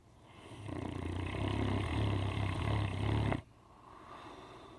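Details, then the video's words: A 10-month-old Great Dane puppy snores with a deep, rattling, low rumble. "Great dane puppy snoring. .. candyrick.com"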